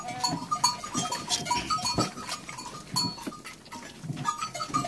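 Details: Bleating goats at milking time on a farm where an orphaned lamb is bottle-fed with their milk; several overlapping, harmonically rich bleats come in bursts, mixed with thumps and rustling from handling.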